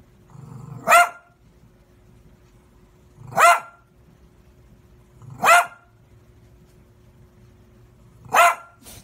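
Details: Dog barking at passers-by: four loud, sharp barks spaced two to three seconds apart, each led in by a short low growl, over a quiet background.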